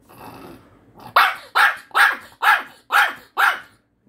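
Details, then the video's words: Puppy demanding Korean melon from its owner: after a quiet start, six sharp, harsh barks follow evenly, roughly every half second. "참외 안준다고 주인을 혼내는 강아지"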